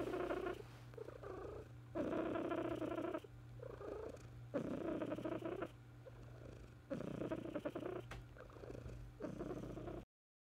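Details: Domestic cat purring in a quiet room, long rumbling stretches alternating with quieter breaths roughly every one to two seconds, with a constant low hum in the background.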